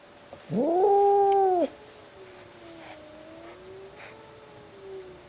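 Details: Deep cat meow that swoops up and holds for about a second, followed by a faint, wavering, lower moan trailing on for several seconds.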